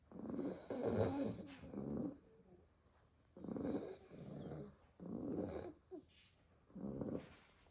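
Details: Pile of sleeping Staffordshire Bull Terrier puppies, worn out after a day playing in the garden; raspy snores come in five bursts of about a second each, separated by quiet breaths.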